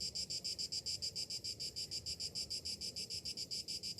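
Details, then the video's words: Cicadas singing on a summer morning: a high, harsh buzz pulsing rapidly and steadily, about six throbs a second, with a faint low background murmur. "Morning summer cicadas sounds"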